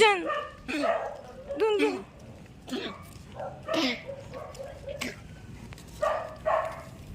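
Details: Pomeranian dog giving a string of short, high, sharp yips in irregular bursts about every second, some with a quick rising-then-falling whine, separated by brief quiet gaps.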